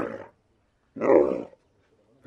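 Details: Camel snoring: three rough, noisy, low-pitched bursts, each about half a second long, separated by short silences.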